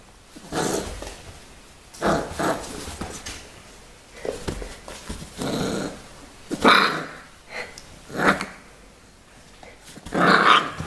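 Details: A 4-week-old Bull Terrier puppy, excited by the camera, gives short, rough growls and squeaky yaps in bursts.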